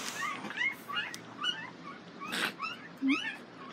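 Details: Nell x Skeet Border Collie pups whimpering at the International Peace Gardens on 12 August 2018: a dense run of thin, high, bending squeaks about every half second, with a brief low sound near the end.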